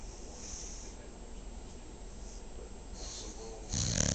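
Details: A dog snores in its sleep, a low buzzing rasp pulsing roughly four times a second, ending in a sudden loud, harsh snort over the last half second.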